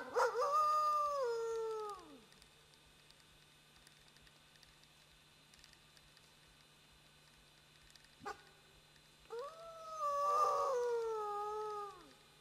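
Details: A friendly wolf howling back and forth with a human: two long smooth howls, each starting high, holding, then sliding down and fading, separated by about seven seconds of quiet with a single click between them.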